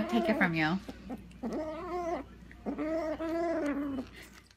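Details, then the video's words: Domestic cat making odd, drawn-out meowing calls: three wavering, harmonic-rich yowls, the first bending sharply up and down, the others long and fairly level, with a person talking softly and background music. "Crazy Weird Cat Noises"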